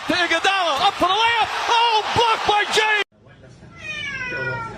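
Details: Domestic cat from a funny cat compilation, giving a quick run of about eight short arched meows in three seconds, followed by a brief gap and a quieter, higher drawn-out tonal sound with faint background noise.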